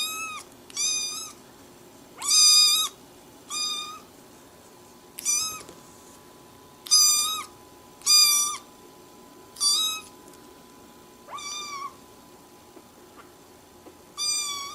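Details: Domestic cat giving a long series of short, high, clear meows, about a dozen in fifteen seconds at uneven gaps, each slightly bent in pitch, over a faint steady hum.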